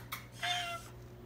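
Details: An Oriental Shorthair cat, known for honking instead of meowing, gives a short, flat, nasal honk while being coaxed by its owner.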